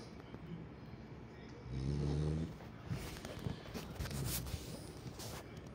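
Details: Sleeping French Bulldog named Kome gives one loud, deep, buzzy snore lasting under a second, followed by softer irregular snuffling breaths and small rustles.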